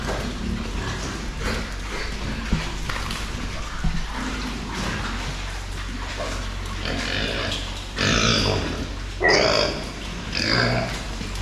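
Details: Meat pigs being raised for fast growth on a farm; a steady background of low grunting and shuffling, then loud harsh squeals bursting out near the end, several in quick succession.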